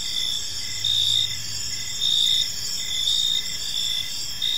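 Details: Crickets in a park at evening, shrill high-pitched trills pulsing in regular bursts about once a second, with a brief low hum in the background and otherwise steady ambient noise.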